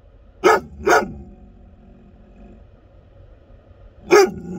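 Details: Loud barking from an American Akita, two rapid deep barks close together followed after a three-second pause by one more forceful bark.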